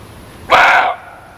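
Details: Single brief muntjac bark, coarse and slightly falling in tone, cutting sharply through an otherwise quiet, hissy background.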